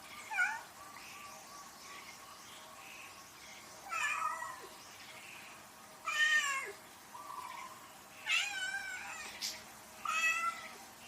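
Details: House cat meowing repeatedly: several short and longer meows, some rising and falling, spaced one to two seconds apart, with a few fainter softer mews between them over low background hiss.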